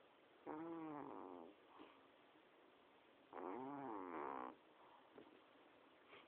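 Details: Domestic cat snoring while asleep: two long, harsh, rasping breaths about three seconds apart, each lasting roughly a second, with quiet pauses between them.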